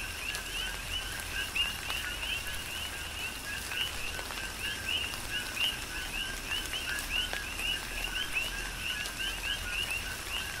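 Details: Several coqui frogs on Hawaii's Big Island calling through tropical rain, each giving a short low note then a higher whistled chirp, the calls overlapping densely while rain hisses and drips steadily.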